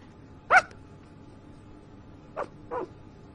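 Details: Sleeping puppy makes one short, high yip, then two fainter, brief whimpers a couple of seconds later, against a quiet background hiss.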